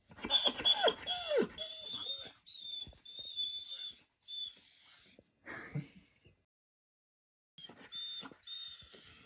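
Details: Six-year-old adopted retired racing greyhound, indoors at dinner time, demanding dinner: high, wavering whines and yelps, several drawn-out and sliding, in bursts over the first seconds, then quieter whimpers with pauses; an owner speaks briefly.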